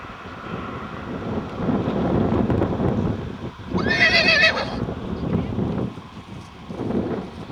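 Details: Icelandic horse mare foal at Geitaskarð, recorded 21 July 2012, gives one loud shrill whinny of about a second, quavering and falling, amid steady low rumbling and shuffling noise.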